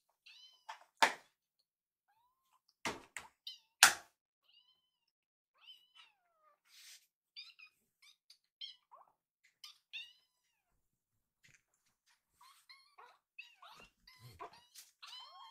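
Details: Rescued foster kitten begging for food indoors: short, faint high mews scattered among several loud knocks and thumps, with brief pauses and a busier run of soft calls near the end.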